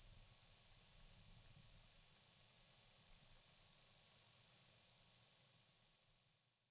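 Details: A slender meadow katydid (Conocephalus fasciatus), common in Illinois and the Midwest, sings a very high, thin, longer run of quick ticks blending into a soft, slurred, higher-pitched buzz.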